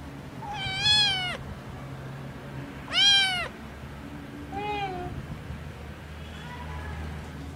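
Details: Sibling kittens Chao and Chi meowing: two loud, high, arching meows about two seconds apart, then a shorter, softer, lower meow and a faint fourth one near the end, over a steady low hum.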